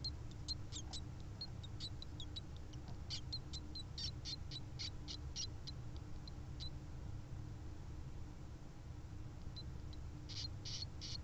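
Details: Djungarian hamster pups, four to five days old, kept with their mother behind the house, calling for her while nursing; rapid tiny high squeaks in irregular clusters over a steady low hum.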